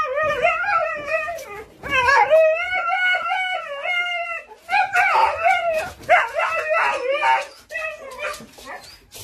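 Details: Siberian Husky vocalizing at visitors as an alarm: long, wavering, tonal howls with rich harmonics in drawn-out bursts, broken by short pauses and a stretch of rougher, choppy yodeling sounds near the middle.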